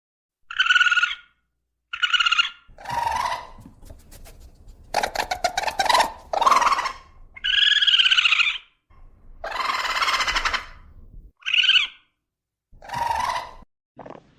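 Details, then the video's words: Raccoon natural sounds: short harmonic squeals alternating with raspy growls and crackling bursts, a long quavering whine, more harsh calls and a final brief squeak. "FUNNY RACCOON NATURAL SOUNDS"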